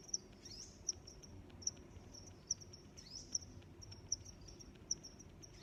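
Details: High, sharp cricket chirps repeat roughly every 0.8 seconds, with a faint sustained trill and a couple of soft sweeping sounds between them against a quiet, low noise floor.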